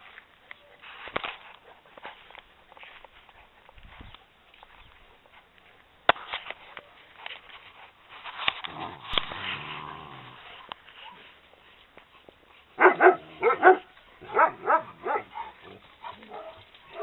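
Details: Eleven-week-old Maremma Sheepdog puppies at play with their mother in a garden, September 2012: soft snuffling and rustling, then a quick run of sharp, harmonic yaps and yelps, about ten bursts in four seconds.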